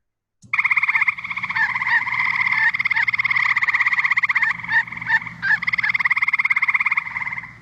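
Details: Eastern gray treefrog (Hyla versicolor) males call to each other at night, a loud, musical trill of rapid even pulses lasting about seven seconds, resembling a red-bellied woodpecker, with brief breaks near the end over a faint low hum.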